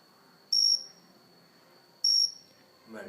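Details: Cricket filmed close up on an indoor house plant: two short, high, steady chirps, each about a quarter second long, spaced roughly one and a half seconds apart, with a faint rustle at the end.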